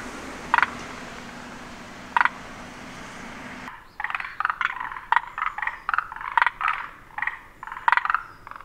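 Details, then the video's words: Forest green tree frogs give short, knocking croaks, first singly and then in quick clustered bursts; the frog sounds its throat three times rather than simply inflating its vocal sac. "モリアオガエルは三度のどを鳴らす"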